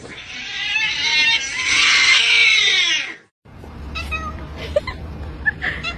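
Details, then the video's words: Domestic cat in a funny cat-sounds compilation, giving a long drawn-out meow with many stacked harmonics lasting about three seconds, followed by quieter squeaks and a low background hum. "Funny Cat Sounds"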